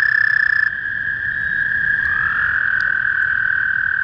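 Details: Male toad calling in spring: a long, steady, high buzzing trill held without a break. A second trill at a slightly different pitch joins about halfway through, overlapping the first. A brief, higher tone sounds at the start.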